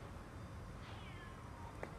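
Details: Distant caterwaul from two male cats, Siamlock and Naomi, fighting on a late afternoon of February 16, 2018: a faint drawn-out wail sliding downward over steady low background rumble, with a brief click near the end.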